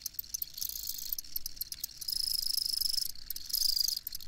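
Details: Crickets chirping in a dense, high-pitched chorus of pulsed trills that rise and fall in loudness, with overlapping callers and a faint low rumble underneath.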